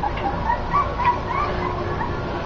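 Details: Puppies whimpering: a string of thin, short, high squeaks repeated every third of a second or so, slightly wavering in pitch, set against a dense background hum.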